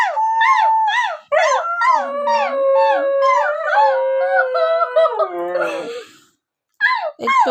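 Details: Husky giving a series of short arched yowls that run into a longer drawn-out wavering howl, followed by a breathy rasp and two more quick yowls.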